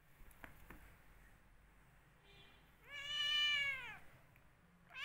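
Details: Angry domestic cat fighting with its owner, giving one long drawn-out harmonic meow that rises then falls, preceded by faint clicks and a short quieter call, with another meow starting at the end.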